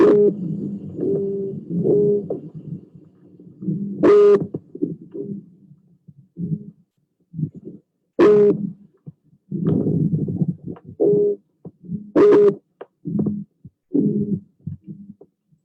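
A croaker fish makes low, grunting drum-like bursts underwater, repeated in uneven pulses.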